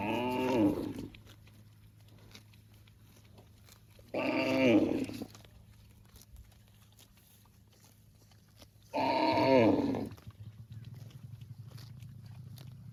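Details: Cow mooing to call its extended family: three loud, rough moos about a second long, arriving every four to five seconds, each falling slightly in pitch, with a steady low hum underneath.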